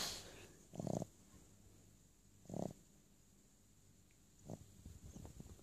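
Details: A sleeping, dreaming Boston Terrier gives short, muffled low woofs about two seconds apart.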